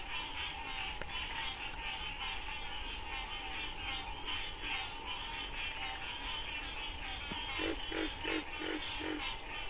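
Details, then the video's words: Frogs in nature: a fast burst of five short, low croaks near the end, following a long stretch of pulsing high chorus over an unbroken humming background. "Frog Sounds"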